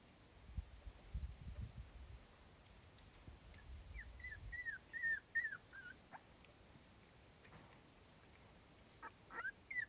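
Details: Cardigan Welsh Corgi mother and daughter resting in warm sunshine, the young one uneasy whenever her mother is not close by; soft, thin, downward-sliding whines come in a quick run mid-clip, with two more near the end over low rumbling background.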